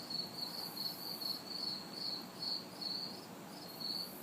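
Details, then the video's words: Crickets and cicadas recorded in a backyard on a humid summer night in the city; shrill chirps pulse quickly, about two per second, over faint background traffic hiss. "Summer Night Sounds ~ Crickets, Cicadas"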